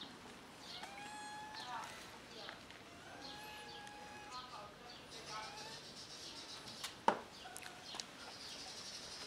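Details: Kitten nursing on its black mother cat's milk; several short harmonic meows in a cluster near the start and more around the middle, over a steady hiss, with a sharp click late on.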